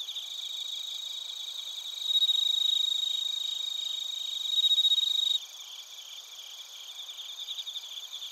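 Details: Bell crickets and crickets singing in Narita, Chiba Prefecture, Japan, on a TASCAM Portacapture X8. A high pulsed chorus runs throughout; a nearer, louder pure ringing trill sounds from about two to five seconds, then drops away.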